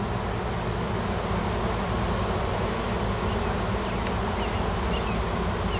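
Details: Wild honey bee swarm on a Washington farm, a new queen having left the nest with many workers, clustered in a tree while seeking a new home; dense steady low buzzing hum throughout, with faint higher streaks above.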